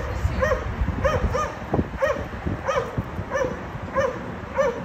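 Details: Several dogs barking loudly at a condominium, disturbing neighbours three times daily; clear, regular, ringing barks come roughly every half second, with low traffic-like rumble underneath.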